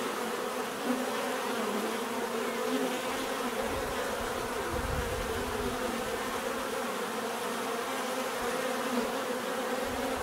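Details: Many bees buzzing continuously, a thick droning hum with shifting low surges around the middle that swell and fade.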